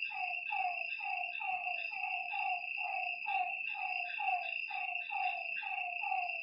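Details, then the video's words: Lakeside frogs at night repeat brief descending croaks, around fifteen of them, several voices overlapping in an irregular chorus, backed by a steady shrill buzz of night insects. "Lakeside night creatures and frog sounds"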